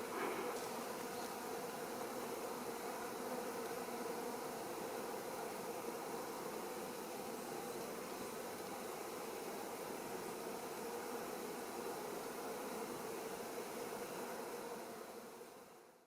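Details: Wild honey bee colony living in a fir trunk, a dense, steady droning hum that holds at an even loudness for the whole stretch, low and continuous, with no breaks or separate calls standing out.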